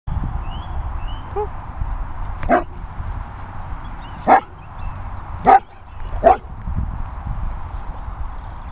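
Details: Vizsla moaning to be chased by another dog: four short, sharp vocal bursts spaced about a second apart over steady low background rumble, with faint whistly sounds early on.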